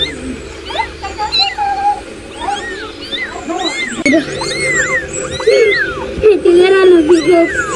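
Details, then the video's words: Kittens meowing, a rapid series of short, high, arching mews rising and falling, several overlapping at times, over a steady low hum. "Cute Baby Cat Sound"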